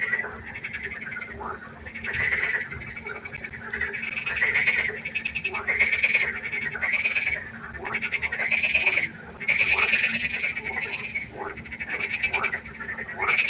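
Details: Frog chorus at night by the pond: loud, pulsed, rattling croaks in overlapping bursts of about a second, several callers answering one another almost without pause.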